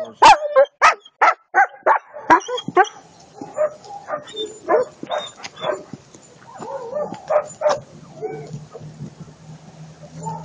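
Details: Eight-month-old German Shepherd puppy Attila ot Salmoxis barks loudly in a rapid, steady run of about eight sharp barks over three seconds, then breaks into softer yips and whining notes, with a steady low hum behind.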